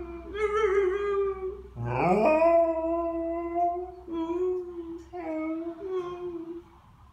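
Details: A female Alaskan Malamute, nearly three years old, howls along to violins in long, wavering tones, one phrase swooping sharply upward before holding steady.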